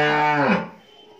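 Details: Friesian heifer calf aged 13 months at a dairy farm in Pabna, Bangladesh; the tail of a strong, richly harmonic moo that drops in pitch and fades within about half a second.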